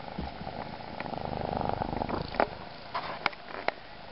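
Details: Adopted rescue kitten purring steadily indoors, a soft continuous rumble, followed by a few brief clicks and taps near the end.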